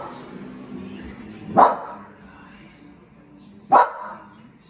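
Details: Bull Terrier puppy seeing a balloon for the first time, giving two short sharp barks about two seconds apart, with soft background noise between them.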